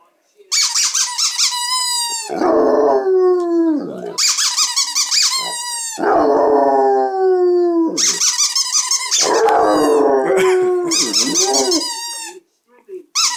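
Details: Two-year-old Basset Hound howling loudly indoors: long drawn-out bays that start high and slide downward, each running a couple of seconds, broken by shorter yelping notes and brief pauses, repeated over and over with hardly any silence.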